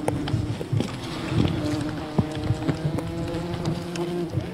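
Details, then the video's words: Honey hunting at a wild bee colony: dense humming drone of many bees, punctuated by frequent cracking and thumping handling noises close to the recorder. "Wild bee honey hunting"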